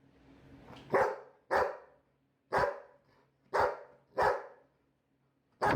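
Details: Labrador retriever barking: six sharp, loud single barks spaced irregularly about a second apart, with a faint low hum in a quiet room between them.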